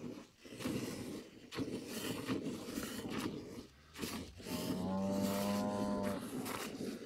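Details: Dairy cows in a corral during Sunday morning milking, Brazil; one long steady low moo with clear harmonics lasts about a second and a half near the middle, amid broadband rustling and handling noise.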